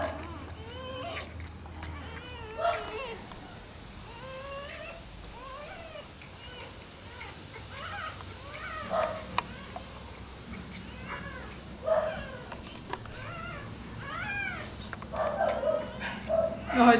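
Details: Newborn Rottweiler puppies suckling from their black mother indoors, a litter of several; many overlapping high squeaks and whimpers come in bursts, while people talk softly in Portuguese alongside.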